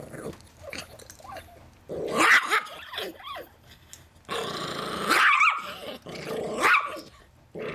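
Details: Half-breed Chihuahua–Miniature Pinscher pet defending his peanuts from anyone who comes near: snarling growls rising into sharp, harsh bursts around two and five seconds, with quieter rumbling between.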